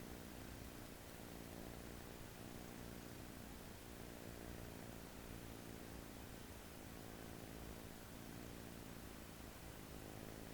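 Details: Snoring American Shorthair kitten, asleep on an arm its first day home: faint low rumbling breaths in slow waves, partly masked by steady hiss.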